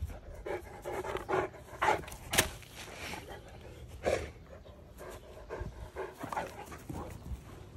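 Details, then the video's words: An eight-year-old Saint Bernard eating fruit bread: irregular bursts of heavy breathing and panting with wet chewing and smacking noises, about two bursts per second, with a faint low background hum. "Saint Bernard Vs fruit bread"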